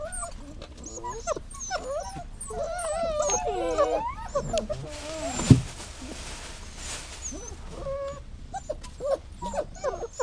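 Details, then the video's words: Dog whining: a tangle of soft, wavering tonal whimpers overlapping throughout, with a sharp knock near the middle and a low background hum. "Whining Sounds"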